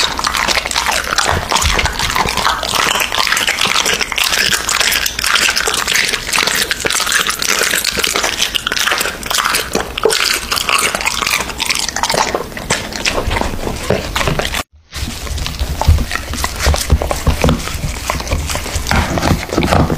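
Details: American Bully dog eating raw meat indoors, a steady run of wet, crunchy chewing and biting clicks with a brief silent gap near the end before the chewing resumes.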